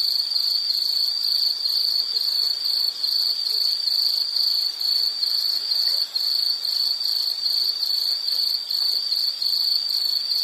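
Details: A shrill insect trill repeats steadily at roughly two beats per second across ten seconds. The pitch is high and fixed, with the loudness dipping briefly now and then. A quiet background hiss is the only other sound.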